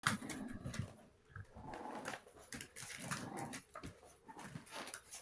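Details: Chihuahua puppies, 61 days old, indoors in a small room; soft irregular whimpers and small yelps come in short bursts over rustling and scuffling, with quiet gaps between.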